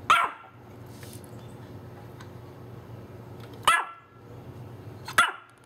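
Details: Female Pomeranian barking at the doorbell, captured on a Panasonic SDR-S50 camera; three short high yaps spaced irregularly, roughly three seconds then one and a half seconds apart, over a low steady room hum.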